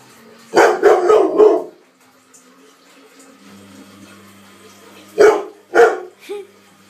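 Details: Ten-month-old pet Labrador Retriever indoors, angry at and scared of a running washing machine, giving a burst of three rapid harsh barks, a pause with the machine droning, then two or three more barks.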